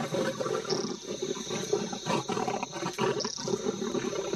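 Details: African lion on the savannah during a tense encounter, giving a run of harsh, pulsing snarls and growls, rising and falling in short bursts, with a steady faint high hiss behind.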